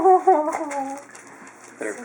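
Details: A Chinook puppy from the Zen litter whines at feeding time, 12 February 2012. One clear, high, steady wail opens, then slides and fades within a second. A voice and rustling follow.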